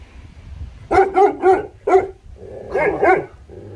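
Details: Three-month-old Tibetan Mastiff puppy in Leh Ladakh barking: a quick run of four short, tonal, yappy barks, a pause, then two more barks, over a low background rumble.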